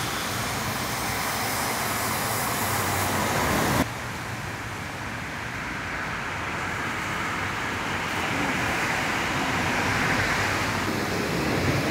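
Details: Steady street traffic rumble with passing vehicles, the engine roar dropping slightly in level after about four seconds; no animal voice is heard.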